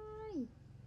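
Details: Newborn baby monkey calling back to its mother: one clear tonal coo held level, then sliding downward and fading within about half a second, over a steady low hum.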